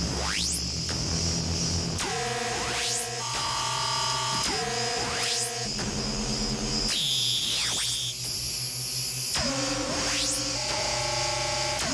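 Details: Electronic modular-synthesizer music with sweeping glides, buzzy tones and steady pulsing notes, with no animal sounds heard.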